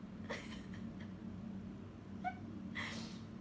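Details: Pet cat answering its owner's questions indoors: a brief rising meow, then a short harmonic mew about two seconds later and a breathy burst at the end, over a steady low room hum.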